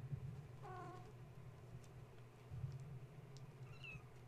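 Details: Gaia's kittens, awake and restless at bedtime after a space heater was switched on: one short, clear meow, then a thin high squeak near the end, over a constant low hum and faint rustling.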